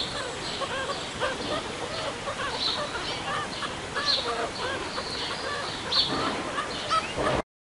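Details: At ZOO Liberec, three January-born meerkat pups take their first trip outdoors on a chilly day, kept warm by mother and father; rapid series of brief harmonic chirps with higher squeaks over constant outdoor noise.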